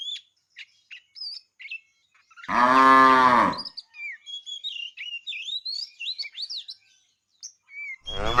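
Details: A fat cow from a tame herd, herded in the afternoon, calling the female: one full, deep moo, then another starting at the very end, with busy chirping birds in between.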